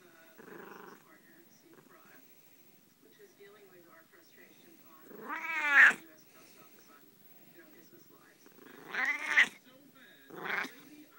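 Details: Pet Siamese cat giving loud, drawn-out yowling meows that arch up and fall back. There are three strong calls spaced a few seconds apart, with softer murmurs before them, in a quiet room.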